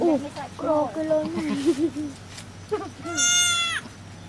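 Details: Goat on a cow farm around the birth of a baby goat: low wavering voiced sounds mixed with human talk, then one high, strained, tremulous bleat near the end.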